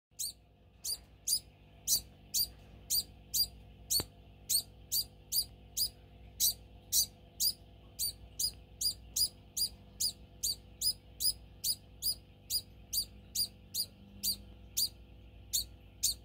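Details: Pet degu in a home, squealing for food as feeding time approaches; sharp high squeaks repeated steadily, about two per second, throughout, with a faint hum behind.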